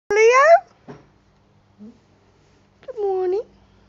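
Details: Rescue cat outdoors at its home in Cooktown, Queensland, Australia, giving two clear drawn-out meows about three seconds apart, the second dipping and then rising at the end, with faint soft sounds between.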